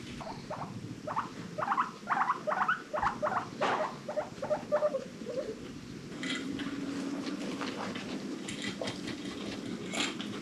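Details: Guinea pigs kept as pets in a rescued herd: a run of short rising squeaky wheeks, about two per second for five seconds, then a quieter low rumbling purr with faint clicks.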